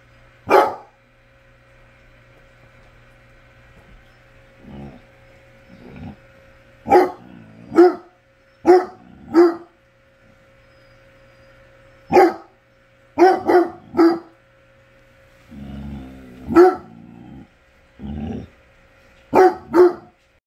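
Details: Deep barks from a basset hound come in irregular bursts, single and paired, with a muffled rumbling stretch near the end, over a constant faint electrical hum.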